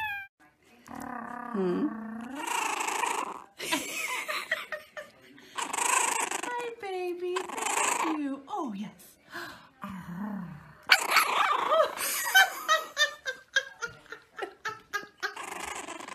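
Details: French bulldog indoors in a small room, making drawn-out, moaning growls and grumbling whines with rising and falling pitch in several bursts, followed by a rapid run of short pulsed sounds.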